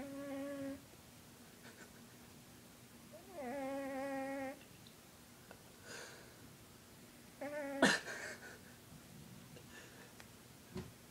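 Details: Heavy 20 pound domestic cat snoring while asleep indoors: a steady, nasal, whistly tone lasting about a second that returns every few seconds with each breath, separated by quiet stretches and a few soft clicks.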